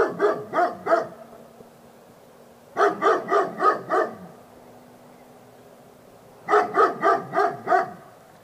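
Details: Labrador Retriever barking in three rapid volleys of roughly four, six and five sharp barks, with a faint steady hum in the quiet stretches between them.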